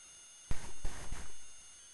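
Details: English Springer Spaniel at play, giving a low, rough growl that lasts about a second with a few surging pulses, then fades into quiet room tone.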